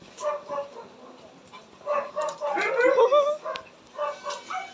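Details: Pomeranian puppies giving a series of short, high, harmonic yips in uneven bursts, some paired, with a busier cluster of overlapping squeaky notes in the middle and faint background noise between calls.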